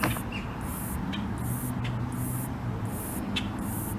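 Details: A greater meadow katydid, exact species unknown, vibrates its wings to give a high, hissing trill in short bursts about once a second, over a steady low rumble of distant traffic in Palm Beach County, South Florida.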